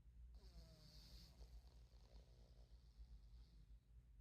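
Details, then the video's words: Midnight, a pet cat napping on his chair, snores softly with low, rumbling, rhythmic breaths beneath a steady low hum in a quiet room. "Snoring kitty cat"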